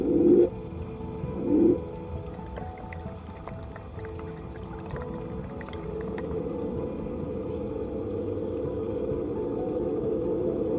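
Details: A male Hawaiian monk seal off a remote Hawaiian island gives two short, low, throaty underwater moans about a second apart, over a volcanic rock drop-off, then soft music. It is a vocalization thought to be a mating call, with bubbles exhaled afterwards.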